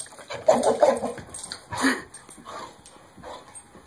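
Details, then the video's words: Dog with very strong jaws shaking and playing with a Kong bone toy indoors; rough, growly bursts around half a second long, two main surges, then softer grumbling and muffled thumps of the toy. "Dog Shaking KONG Bone Like A Lunatic"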